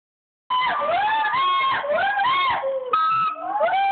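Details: Gibbon calls: loud, whooping, frequency-swinging notes that rise and fall in arcs, overlapping voices in a continuous chorus, with sustained tonal hoots near the end.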